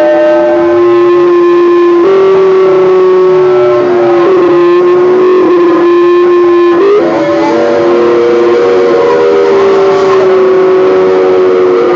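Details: Sustained, droning musical tones with shifting harmonics and no animal voice.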